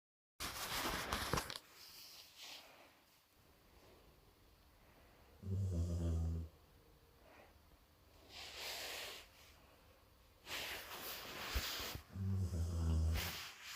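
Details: Jo, a sleeping golden retriever, snoring: airy, hissing inhalations alternate with two deep, rumbling, buzzy snores about six seconds apart, in a quiet indoor setting.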